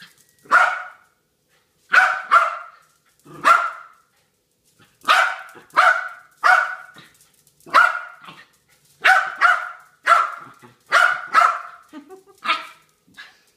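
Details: Harry, a dog, barks almost nonstop, repeated loud barks mostly in pairs at roughly one-second spacing, the background otherwise silent.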